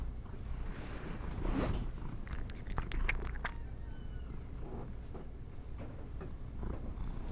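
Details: Domestic cat munching treats, a soft low purr running throughout while crisp crunches and clicks cluster in the first half, then fewer bites near the end.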